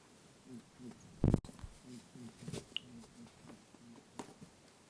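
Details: Lop-eared pet rabbit chasing its friend Pooh while playing, voicing "boo-boo" sounds, recorded with a TASCAM DR-07X: soft, low grunting pulses repeated in quick series, with one sharp thump early on, in a quiet small room.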